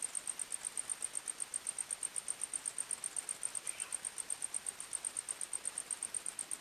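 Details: Crickets in a night forest chirp about four times a second, a thin, very high, rhythmic pulsing, with one faint brief call from another animal midway.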